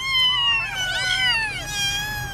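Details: Orphaned street kittens whose mother never returned, brought home after a week, cry with overlapping high meows that bend downward, several voices tangled together for over two seconds, steady and loud throughout.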